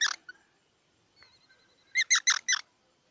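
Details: One short squeak, followed by faint thin sounds and then a tight run of four loud, bright squeaky notes from a squirrel.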